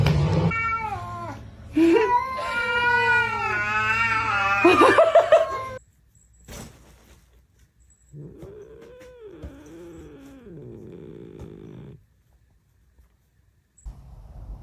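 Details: Domestic cat in a funny cat compilation, giving a long wavering, drawn-out yowl that bends up and down for several seconds, then a second lower, arching yowl after a short pause, with a steady low hum underneath.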